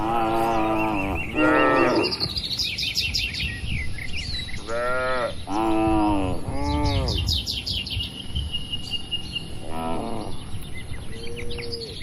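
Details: Cattle inside a farm barn, healthy, tame and active, lowing in a series of rich, harmonic moos, some rising and falling, separated by short pauses, while small birds chirp and twitter steadily in the background.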